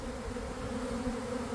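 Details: Swarm of honey bees from a hive, heard close up as the cluster gathers in a boxwood bush on an afternoon following cold, damp weather; a smooth, steady mid-pitched drone with clear humming bands.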